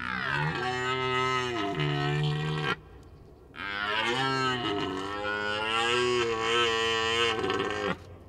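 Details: A red deer stag gives two long, deep, moaning roars separated by a brief pause, during the rutting season.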